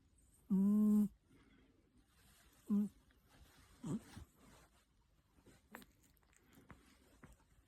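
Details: Cat asleep and snoring: one full low humming snore, then a shorter fainter one about two seconds later, followed by soft rustling and quiet room sound.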